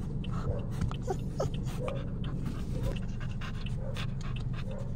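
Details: Chow Chow; panting; excitement about going out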